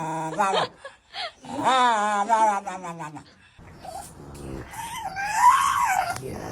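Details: Indoor dog giving strange, wavering howls that rise and fall in a singing, moan-like pattern, answering a person singing "If you're happy and you know it"; laughter and speech between the long wailing phrases.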